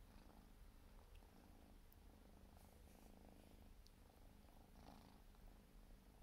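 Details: Grooming Siberian forest cat kitten aged four months gives a low, constant purr. Scattered faint scratchy licks and small clicks sit above the rumble.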